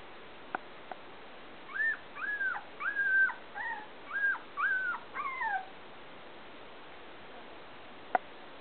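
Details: Seven loud, arching whines from Pointer puppies at Wild Apple Kennel in 2011, each rising then dropping, delivered in a steady string over about four seconds, framed by sharp clicks and knocks before and after.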